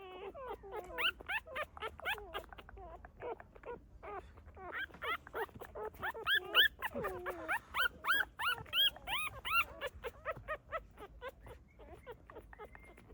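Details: Rapid run of short, upswept squeaks and yelps, roughly three per second, thick and overlapping in the middle, near a mother dog and her newborn puppies in a hidden spot.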